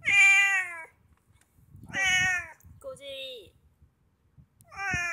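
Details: Pet Abyssinian cat in an autumn mood, letting its belly be touched: loud, clear, drawn-out meows repeated every couple of seconds, with a shorter, lower vocal sound between them.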